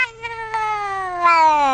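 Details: A pet domestic cat meows in reply when its owner urges it to "say гад": one long, clear, drawn-out meow, steady and slowly falling in pitch, growing louder toward the end, indoors with no other sounds.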